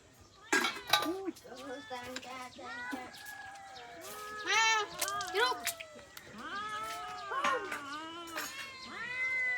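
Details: Several abandoned domestic cats meowing insistently, with overlapping drawn-out, bending meows one after another, while people talk nearby.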